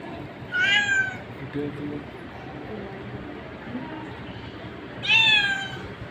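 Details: Cat uttering two short, clear meows about four seconds apart, each starting high and falling away, with faint low murmuring in between.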